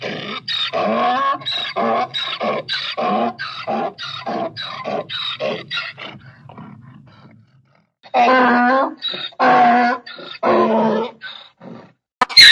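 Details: Donkey bray built from a fast regular string of short honking pulses that fade out, then a pause and several louder, longer harmonic phrases.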